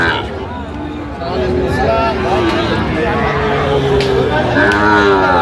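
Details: Several overlapping lowing calls from cattle at Aftabganj haat, a market selling Sahiwal bull calves, 16 August 2025, with long sliding moos in succession amid busy human babble and passing vehicle noise.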